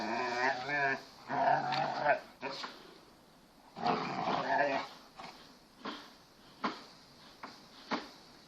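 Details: Playful Kangal Anatolian Shepherd dogs, a 6-month-old pedigree male puppy and an 18-month-old female collie cross, in a garden; warbling harmonic growl-whines in bursts with scattered short yaps and some human speech.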